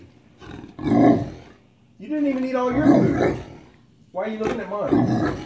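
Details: Great Dane at home begging for a bite of its owner's sandwich: drawn-out groaning moans that rise and fall, in three separate bursts, with a woman talking to it.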